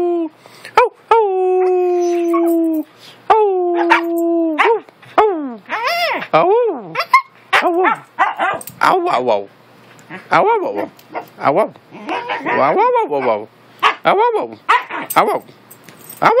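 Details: Siberian Husky howling as its owner encourages it to make noise: long steady tonal howls at first, then quick rising-and-falling yodelling vocalizations in bursts, with the owner's voice talking between them.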